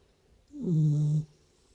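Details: A sleeping Beagle snoring indoors: a single low, droning snore of under a second, steady and humming, rising slightly at its start, with quiet background between breaths.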